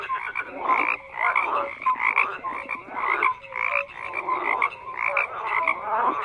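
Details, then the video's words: Chorus of frogs whose harsh croaks swell into loud bursts and ease off in a pulsing rhythm, with a few short tonal peeps between the bursts. "FROGS CROAKING"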